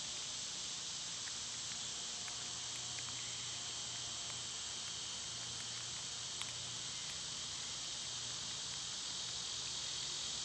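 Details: Loud summertime cicada chorus forming a continuous shrill buzzing wall of sound, even and unchanging throughout, with a few faint ticks and a low background hum.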